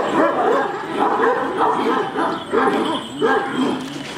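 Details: Giant Kangal dogs bark aggressively at each other: strong, evenly spaced barks about every two-thirds of a second, six or so in a row, over a background of further barking.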